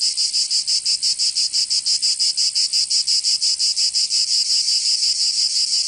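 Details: Loud cicadas of southern France's Provence in summer, an unbroken metallic buzz beating in fast, regular pulses, roughly three each second, alone in the recording.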